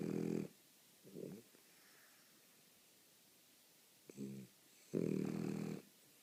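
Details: A French Bulldog snoring in rough, gurgling bursts: a loud snore, a short softer snort, then after a pause a brief snuffle and another long harsh snore.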